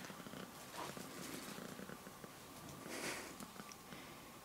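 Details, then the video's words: A male domestic cat purring while getting his claws cut: a steady, low, rumbling purr with fine rapid pulses, broken by sharp snipping clicks and a brief brighter burst near the end. "Purring Cat Gets His Claws Cut"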